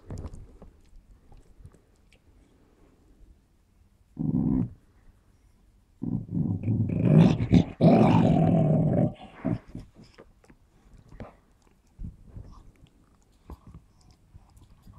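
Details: Smooth Fox Terrier named Run playing with a ball, giving a short growl followed by a longer rough growl lasting about three seconds, then quieter scuffling and chewing-like noises.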